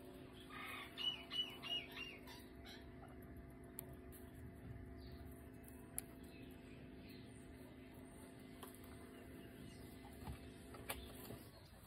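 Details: Coco, a pet guinea pig, squeaking while having its nails clipped: a quick burst of short, harmonic squeaks in the first two seconds, then fainter scattered chirps over a steady low electrical hum.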